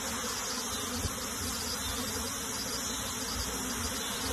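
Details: Steady swarming hum of honey bees while the colony is transferred into a box, an even, continuous buzz with no pauses and a brief soft knock early on.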